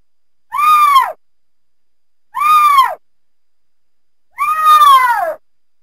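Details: Mountain lion (cougar) voicing three harmonic mewing calls, each sweeping up then falling, roughly every two seconds; the last call is longer and drawn out. No other sounds are heard.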